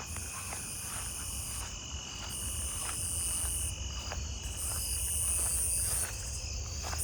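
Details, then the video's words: On a warm, humid night, a Nebraska conehead that has just started singing, apparently close by, gives loud, high buzzes of about a second or more, broken by short pauses. "Oh, there's a Nebraska conehead that started over there. Wonder how close it is."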